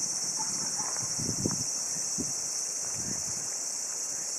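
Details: Tsukutsuku-boshi cicada recorded on 12 August 2013 around 5:26 in the afternoon during a bare-handed catch: a steady, unbroken high buzzing hiss runs throughout, with soft low rustles and murmured sounds beneath it.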